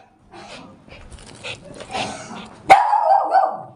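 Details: A German Spitz, having got down off the bed, gives a sharp, high, yappy bark after softer murmuring sounds; the owner calls it quarrelling.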